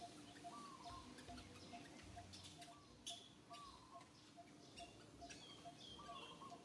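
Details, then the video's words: Little monkey Santo cries to its mother Sara, asking for milk: short, thin, arching whimpers, each under a second, come about five times over six seconds against a steady low hum and scattered clicks and rustles. "Little Monkey SANTO cries so asking for milk Mama SARA so sadly"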